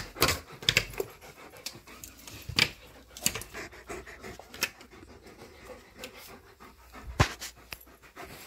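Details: Tonka and Monroe, two dogs too excited to sit still while leashes go on before a morning bikejoring ride, pant in quick noisy bursts with sharp rustles and clicks, while a person talks to them in between.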